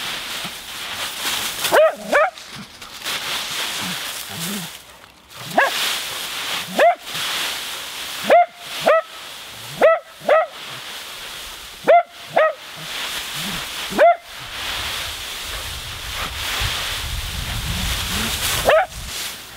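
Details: Nora the Husky, at play in a leaf pile, barks repeatedly in short, sharp, rising yips, about a dozen scattered through the recording, some in quick pairs, with leaf rustling between them.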